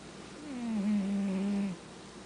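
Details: A cat asleep gives one long, humming snore lasting over a second, its pitch sliding slightly downward and then holding steady before fading into a quiet room.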